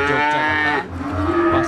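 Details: A Peranakan Ongole feeder bull at the Siyono livestock market, Gunung Kidul, Yogyakarta. A short, steady, tonal moo breaks off midway and is followed by another flat note, with market noise behind.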